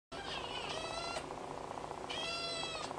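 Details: Tonkinese kitten brothers give loud, drawn-out, high meows, excitedly demanding something.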